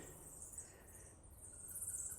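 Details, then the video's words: Many bats squeak together in a continuous, high, thin chatter inside Baksei Chamkrong, a 10th-century Khmer pyramid temple at Angkor Thom, Cambodia, where the bats are loud and guano is plentiful. "and those bats are quite loud"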